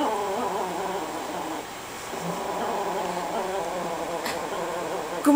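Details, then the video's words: Lilo, a Chihuahua hiding in a couch while chewing a bone, growls when someone tries to pet her; a long rumbling, motorcycle-like growl with a steady wavering tone, a woman speaking Japanese nearby. "Mad Chihuahua Growling Motorcycle"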